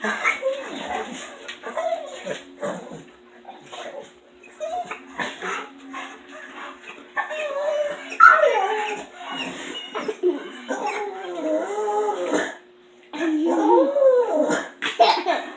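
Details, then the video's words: A lone female dog kept in the house after her two companions leave, producing long series of wavering whines, grumbling moans and squeaky yips in irregular bursts, with a brief pause near the end; steady background hum. "Dog makes Hilarious noises!"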